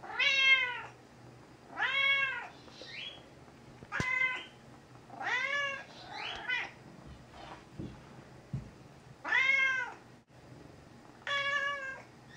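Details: Gray tabby cat Mouse, very talkative, meowing repeatedly while confined in a bathroom during a short illness with medication; six arched meows rising and falling at intervals of about two seconds, with faint clicks and rustling between them.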